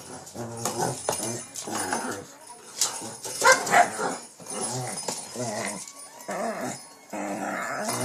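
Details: Shih Tzu named King Bubba, a pet dog, tussling with a cat toy late at night in Pennsylvania: rough, throaty harmonic grumbles in quick bursts, with a person talking to him and faint music in the background.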